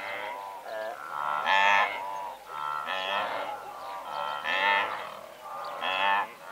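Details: From a herd of several hundred blue wildebeest at medium close range, loud nasal honks come in swelling bursts roughly every one to one and a half seconds, many voices layered over one another.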